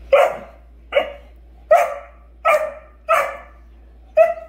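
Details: During morning playtime, a Great Dane blocking two other dogs from her room gives a series of short, deep, booming barks about a second apart, irregularly timed with quiet pauses.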